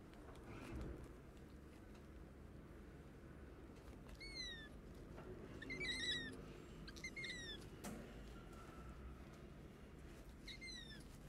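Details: Orphaned stray kittens, hungry and sick after losing their mother, meowing for food: several high-pitched, downward-sliding cries in scattered bursts, some doubled, against a low, rumbling background.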